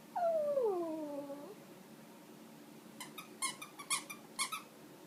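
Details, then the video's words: Shih Tzu puppy whining as he squeaks his toy indoors; one clear, high whine slides downward for over a second, then after a pause a quick run of sharp toy squeaks. "Shih Tzu puppy dog Wolfy whining while speaking toy"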